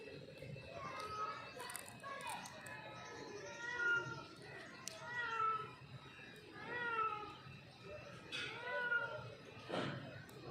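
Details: Mother cat calling to her kitten: a run of short, repeated meows roughly every one to two seconds, each bending down in pitch, with voices and household noise behind.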